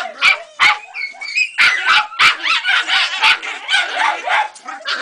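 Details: Excited shrill barking from Ega, a Jagdterrier pup aged three months, at her first rat: quick repeated yaps, roughly three a second, some rising into squeaky, whistling tones, all loud and close.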